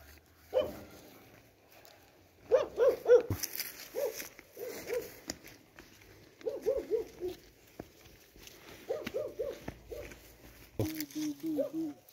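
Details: German Shepherd in a dog fight with another dog, short harsh barks and yelps in bursts of three or four, separated by pauses, ending with a steady run of lower growling notes; a man's voice speaks in Hindi nearby.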